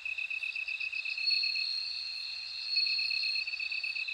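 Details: High metallic ringing from a bell cricket, a sustained shrill note with a rapidly pulsing, beaded trill just beneath it, and soft clicks repeating about every second.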